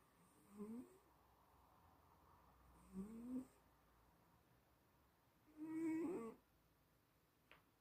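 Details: Sleeping cat snoring: three tonal, slightly whistling snores, each rising in pitch and about half a second long, spaced roughly every two and a half seconds in a quiet indoor setting, the last one loudest.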